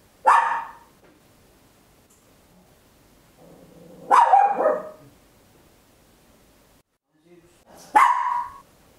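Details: Loud barking from a small Papillon dog indoors at home: three separate sharp barks spaced about four seconds apart, the middle one stretched with a rough, wavering tail.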